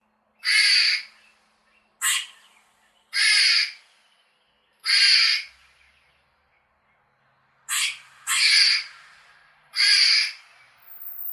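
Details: Squirrel chirping in nature: seven harsh, raspy bursts, each about half a second long, come at irregular gaps over eleven seconds against a quiet background.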